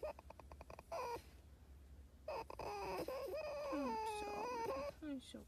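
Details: Pet fox crying in quavering, pitch-bending whines mixed with a person's soothing voice, the calls coming in quick uneven bursts.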